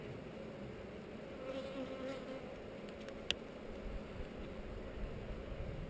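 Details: Honey bees in a hive on heather under inspection, filmed by GoPro; an even, low-pitched hum of many bees continues throughout, broken once by a sharp click a little past three seconds.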